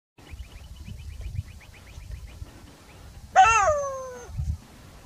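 A jackal lets out a single strident wail, rich in overtones, that begins high and falls steeply over under a second. Before it, faint rapid ticking notes repeat steadily over a low background rumble.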